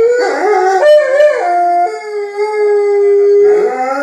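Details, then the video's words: Two Alaskan Malamutes in the house vocalizing at people outside to make their presence known; a wavering, yodel-like howl that slides upward, then holds a long level tone before breaking into rougher notes. "Malamutes making their presence known"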